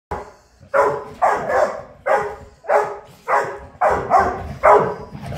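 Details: Dog named Ludo in a morning barking competition indoors: loud, broad barks in irregular pairs and triplets, about ten barks over five seconds, with a small-room echo.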